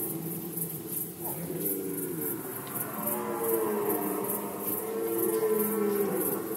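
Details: Red deer stags roaring during the rut season in Poland, 2020: several overlapping drawn-out harmonic bellows, mid-low and rising slightly, with a steady high rhythmic ticking in the background.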